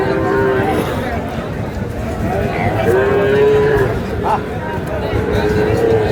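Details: At a Narsingdi cattle market, 19 July, Sahiwal bull calves offered to a farmer; a short early moo, then a steady, level lowing call lasting about a second, with a later brief moo amid busy crowd noise.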